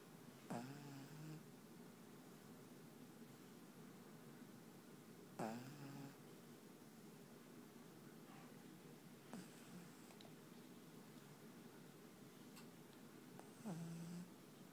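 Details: A black pug named Panpan sleeps and snores, with four drawn-out, raspy low snores spaced roughly four to five seconds apart, each starting with a sudden snort, against a hushed indoor background.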